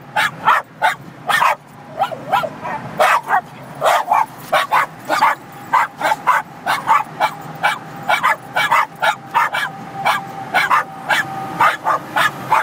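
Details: ['Several Cairn Terriers in a moving car on the highway, barking at semi trucks as they pass; a dense, relentless run of high yapping barks over low engine and road noise.']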